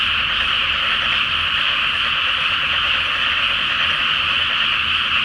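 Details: Massed frogs calling after dark over a water-filled paddy in Japan before rice planting, beneath a full moon; a thick, steady mesh of trilled croaks fills the air, with a faint low rumble like distant traffic or a train.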